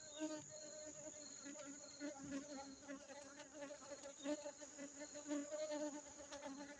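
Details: Constant drone of honey bees in Aceh, a dense, unbroken low hum with rich overtones and slight flutters in loudness throughout.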